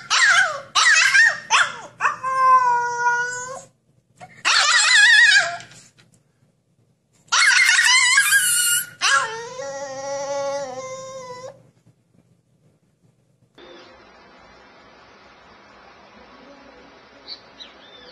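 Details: Puppy from a cage-escape scene lets out rising whimpers and drawn-out, wavering howls in several bursts, then falls silent, leaving a low, steady hiss.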